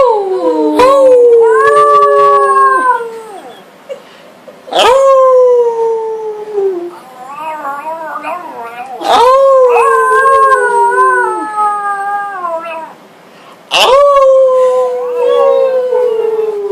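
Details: Pet dog howling along with its family in August 2012: long drawn-out wavering howls that slide gently downward, several voices overlapping in layered tones, each bout lasting a few seconds and separated by short quiet gaps.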